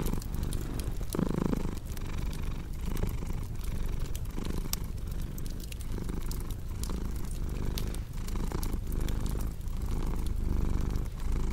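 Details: Cat purring continuously near a cozy crackling fireplace, low rumbling pulses in even cycles, punctuated by frequent sharp pops and crackles from burning wood.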